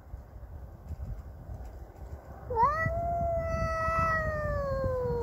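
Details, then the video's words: Cassey the domestic cat, defending her territory against a neighbour's cat, lets out one long sustained yowl that rises sharply then slowly sinks, after a quiet stretch of low rumbling background. "Cats fighting sound effects!"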